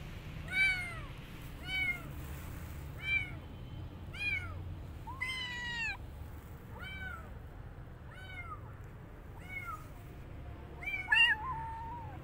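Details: Street kitten after rescue, not eating and wanting to go back out, cries in a steady series of about ten rising-falling meows, each a little over a second apart, against a faint low hum.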